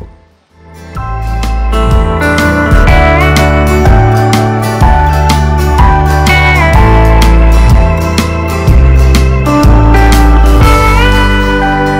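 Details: Steady slide-guitar music with a regular beat throughout, and no animal sounds heard.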